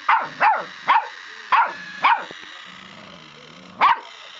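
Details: Mavis the puppy, hating a Scholl pedicure roller, lets out five rapid high-pitched yaps within about two seconds, falls quiet for over a second, then gives one last sharp bark.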